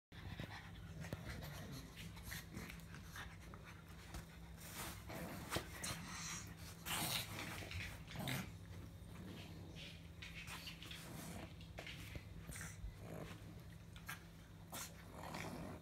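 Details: Pug indoors giving a run of snuffly, breathy grumbles and snorts, short noisy bursts coming every second or so over a faint steady low hum.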